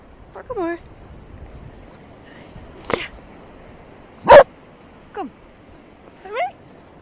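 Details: A 2.5-year-old Cardigan Welsh Corgi playing with a plastic bottle on a beach in the early morning of January 2, 2012, giving short rising-falling yips and whines between a few sharp clicks and thuds.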